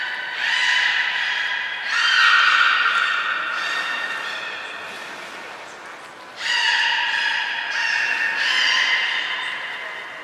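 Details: Sustained, ringing harmonic calls from captive belugas (Hodoi, Taanya, Mirai) at Port of Nagoya Public Aquarium during a February 2021 pool transfer and training session, two long tones, a lull, then a fresh series of overlapping calls.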